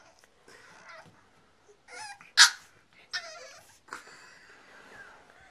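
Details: French Bulldog and Boston Terrier mix puppy named Six, indoors, playing with a plush monkey toy on stairs; several short high whines and yips with falling tones, one sharp louder yelp near the middle, quiet room between calls.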